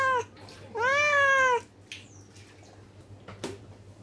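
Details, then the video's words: ['Angry cat voicing a short meow followed by one long, loud, bending meow, then quiet with a steady low hum and a couple of soft clicks.'] "Angry Cat"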